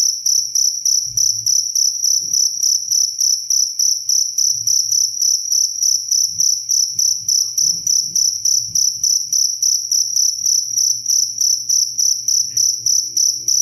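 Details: Clear cricket chirping recorded for calming sleep and as a tutor sound for training songbirds: bright high-pitched pulsed chirps repeated steadily about three to four times a second, with a faint low hum underneath.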